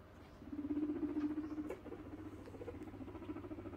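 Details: A female guinea pig named Pearly, in heat, makes a low steady purring rumble lasting over a second, followed by softer broken chuttering, with a constant low background hum.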